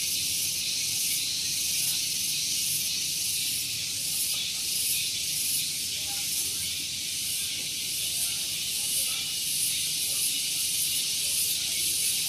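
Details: Very loud morning chorus of cicadas at Gunung Geulis in Bogor, West Java. The high, hissing drone holds unbroken, with a faint regular shimmer in its upper edge. A soft low hum comes from a parking area close by.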